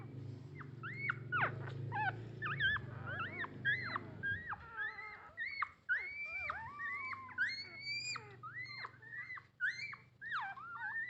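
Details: Litter of nine puppies begging their mother for milk: dense overlapping high squeaky whines and short rising-falling yelps, several pups at once, calling almost continuously with a faint low hum underneath.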